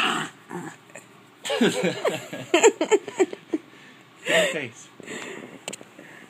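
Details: An annoyed female French Bulldog with a film on her face grumbles and moans in short, wavering, rising-and-falling bursts, the noises French Bulldogs make when annoyed.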